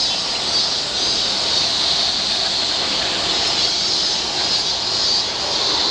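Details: A continuous, shrill buzzing of many cicadas, heard while walking outdoors, stays level and unbroken, with a faint distant rumble beneath it.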